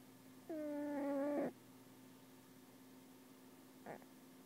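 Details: Domestic cat asleep and snoring, called the worst snoring ever; one long, steady, nasal, tonal breath lasting about a second, followed by a faint short snort, over a continuous low background hum.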